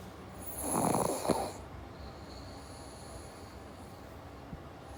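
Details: Single rough, rattling snore from a sleeping pug, one of the pets Jaba and Morgan, lasting about a second, then near silence with a faint high-pitched electronic hum.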